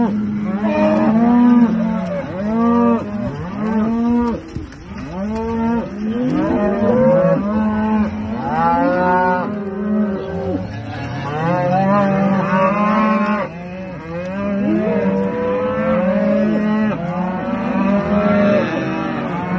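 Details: Many Aberdeen Angus cattle on a farm mooing almost without pause, a dense chorus of rising and falling harmonic calls overlapping throughout, some long and flat, others short and bowed.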